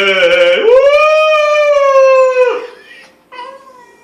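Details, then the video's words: Schnauzer howling along to the national anthem while a person sings; one long, steady, tonal howl held for about two seconds, then dropping away, followed by a short fainter note. "schnauzer sings national anthem"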